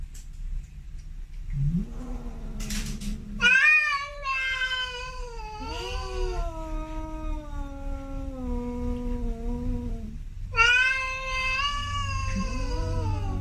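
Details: Male domestic cats, Snowy and Milo, giving long drawn-out meows with rich harmonics, one sliding down slowly over several seconds, then a fresh rising meow near the end; low hum underneath.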